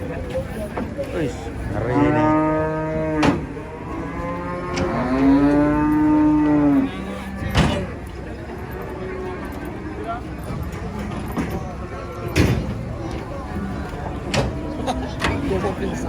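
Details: Huge cow in a rage while being loaded under a haunted tree: two long, strong moos, each lasting a couple of seconds, followed by sharp bangs and knocks with people talking and vehicle noise behind.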